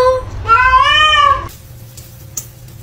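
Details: Domestic cat in a funny clip gives one clear meow lasting about a second, rising then falling in pitch, with a low hum underneath and a soft click near the end.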